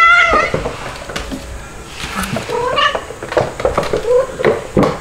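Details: Playful domestic kittens, Stuart the white dalmatian-spotted kitten and Lunar the black kitten, with mama cats Mel and Pepper; a string of thin, wavering mews, several bending upward, repeated quickly over handling noises and soft thumps.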